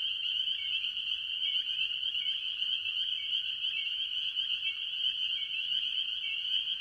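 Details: Early-year farm pond chorus of various tree frogs, mostly spring peepers. A steady wall of piercing high peeps is studded with brief, lower, downslurred notes every second or so. No other sounds stand out.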